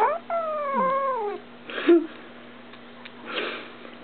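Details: Young female cat in a small room, reportedly growling: one drawn-out, falling, harmonic wail in the first second and a half, followed by rustling and breathy noise over a steady background hum.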